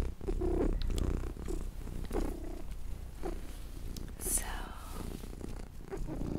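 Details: Purring from Luna, a little house cat, as a low, even rumble running under soft whispering and light rustles in a quiet room.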